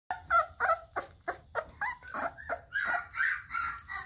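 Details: Male Husky/Lab/Terrier mix puppy, born October 2019, at an animal rescue awaiting adoption, giving a run of short, high whines and whimpers, about three per second, some rising, in a small indoor room.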